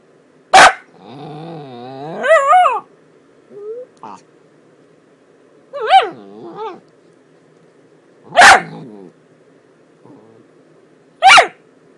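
A Miniature Dachshund gives sharp single barks between wavering, rising and falling whines and grumbling yodels.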